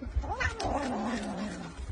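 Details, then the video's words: Domestic cat giving a drawn-out, wavering meow-like caterwaul that slides up and down over two seconds, with low rumbling background noise and faint voices nearby. "CATS FUNNY MOMENTS"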